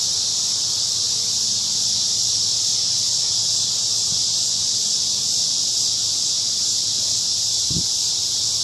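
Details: Evening crickets singing from a big cottonwood tree in a park, their massed high trilling forming a steady, constant wall of sound, broken only by a brief low thump near the end.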